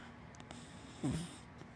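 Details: Sleeping black dachshund and black Labrador mix named Hana lets out a single short, deep snorting snore just past the middle, with faint breathing and constant low background hiss around it.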